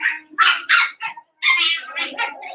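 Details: Seven-week-old Cavalier King Charles Spaniel puppies in a home puppy pen, giving a loud run of short, high, harmonic yips and whines in quick bursts, with a brief silent gap midway before a longer whining cry.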